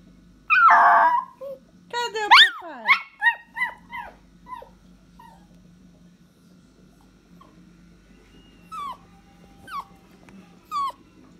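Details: Dog calling its owner: one loud rough outburst, then a quick run of falling yips and whimpers that fade into a few faint, widely spaced squeaks over low background hum.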